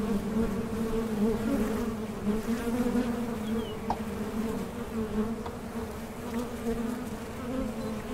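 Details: Continuous droning buzz of many honey bees on a Mason jar honey super, steady and low with a clear overtone, one brief click near the middle.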